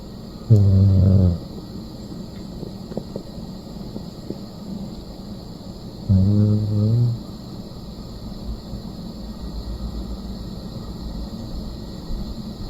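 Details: Dog snoring while asleep: two loud, deep, rumbling snores about six seconds apart, each lasting under a second, with quiet breathing and a faint steady hum between them.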